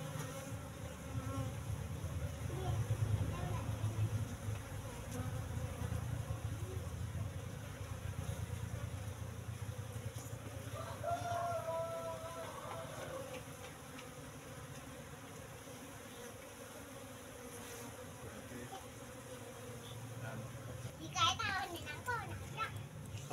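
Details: Apis cerana colony during harvest from its hive box, eggs nearly hatching and sealed honey on the combs: low continuous humming, fluctuating in strength, with brief speech midway and handling clicks toward the end.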